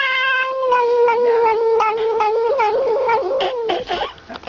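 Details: A bottle-fed kitten drinking milk cries continuously, a strong whining tone that slowly falls then breaks into short wavering yelps and fades near the end.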